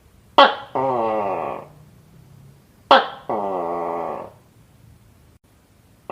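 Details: Tokay gecko calling from a village house, with two calls about two and a half seconds apart. Each starts with a sharp, explosive click and is followed by a longer, nasal, harmonic note that slowly fades. A faint low hum runs underneath.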